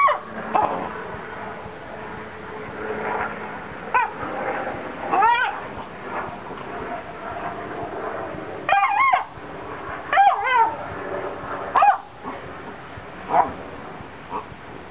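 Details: A Basset Hound lying almost on a quilt gives short, high whining squeaks that bend up and down, squeaking with joy.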